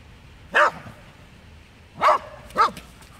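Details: Welsh Terrier on a daily walk, barking at a cat hidden underground: three sharp, loud single barks, the first alone, then two close together about half a second apart, over a low steady background hum.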